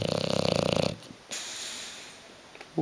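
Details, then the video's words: Hugo the bulldog asleep on a sofa gives the tail of a buzzing, vibrating snore lasting under a second, then quiet breathing indoors, with a voice calling his name around it. "Hugo the snoring bulldog"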